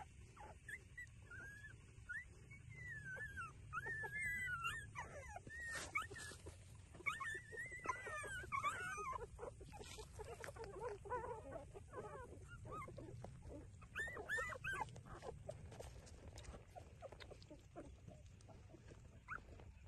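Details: Puppies feeding at their mother, a street dog, make scattered high whining squeaks in bursts over a constant low rumble and shuffling noise, the cries thinning out in the second half.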